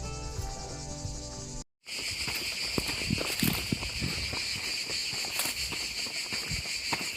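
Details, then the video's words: Cicadas in the Gorges du Gardon, Gard, southern France, sing on a walk as a steady high shimmering buzz with bright bands. A short burst of tonal music opens, then a brief cut, with footsteps and scattered clicks below. "je continue. Je parle plus, je vous laisse écouter la nature et les cigales."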